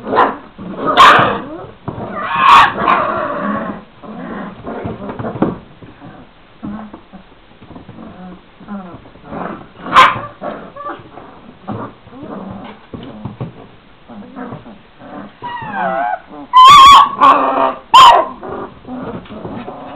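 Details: Šarplaninac puppies, 26 days old, from a litter of three males and five females, let out sharp high yips and short barks in loud bursts, with spells of softer whining and growling between them.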